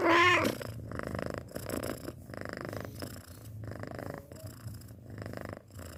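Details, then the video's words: A six-month-old cat begins with a brief high mew, then settles into rhythmic purring, low rumbles swelling and fading about every second with breathy hiss on each inhale. "Suara Kucing Mendengkur"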